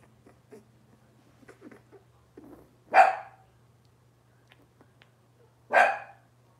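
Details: Indoor Cavalier King Charles Spaniel puppies, Robin's litter, in a kitchen: soft whimpers and small yips build to two loud, harsh puppy barks about three seconds apart, with a constant low electrical hum underneath.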